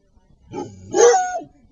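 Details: Small white chihuahua mix and large black rottweiler mix play fighting; one short, harsh growling bark that rises then falls, preceded by a softer low growl.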